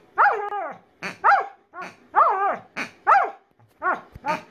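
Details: Pet female Alaskan Malamute voicing a rapid series of about seven short, harmonic, rising-then-falling woo-like barks, roughly one per second, in a quiet indoor setting.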